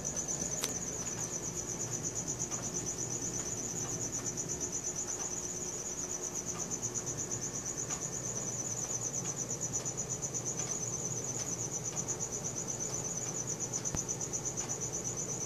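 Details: Night-time cricket sound captured with a Samsung Galaxy S4: an unbroken shrill trill pulsing rapidly and evenly, with a soft background hum and a few faint clicks.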